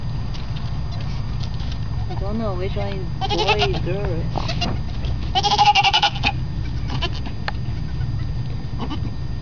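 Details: Newborn baby goats bleating: several short, wavering, quavery bleats in bursts, with a person's voice talking over them and a low, steady background rumble.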